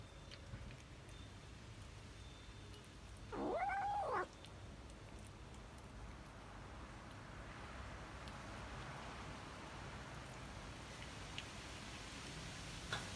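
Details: Tabby cat eating cheese lets out a single short, wavering, tonal mew of under a second amid a quiet room background.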